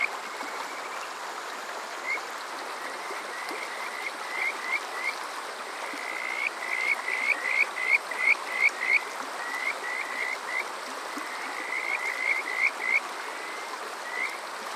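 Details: Kajika frogs calling on a summer night at Water Park Shirayama, Yokoze, Chichibu District, Saitama, Japan, recorded on a TASCAM DR-05X: short rising whistled notes in bouts that speed up and grow louder midway, over a steady stream hiss.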